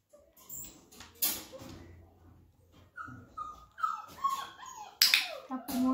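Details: Thirty-four-day-old Flat-Coated Retriever puppies during clicker introduction give a string of high, sliding whines and squeaky whimpers, some falling in pitch, mixed with scuffling, a click-like snap and faint background voices.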